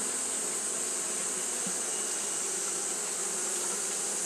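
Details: Fanning Japanese honey bees during hot weather produce an even, continuous buzz, a thick hum with a persistent high-frequency hiss above it.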